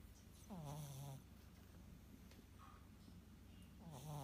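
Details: Morning snoring from a house cat that now sleeps only on cardboard beside its bed: a low, buzzing snore sliding downward in pitch, then a soft pause and a second raspy breath starting near the end.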